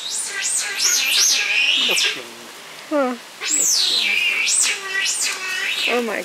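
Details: Giant otters at Chestnut Centre, Chapel-en-le-Frith, a family of six with two cubs born at the centre, 25 June 2011: nearly continuous high, wavering screams rising and falling in repeated arcs, with a brief pause and a short lower chirp series midway.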